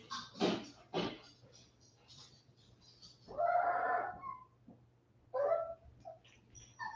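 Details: West Highland White Terrier puppies, 47 days old, back inside after an outdoor break. Soft clicks open the clip, then a drawn-out, wavering whine near 3.5 seconds and a shorter whimper near 5.5 seconds.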